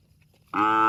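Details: A cow breaks a quiet moment with the loud, rich start of a moo, apparently calling to its extended family.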